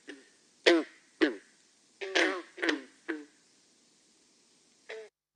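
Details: A green frog, found in Massachusetts and a sure sign of spring, gives short, twangy gunk notes like a plucked loose banjo string.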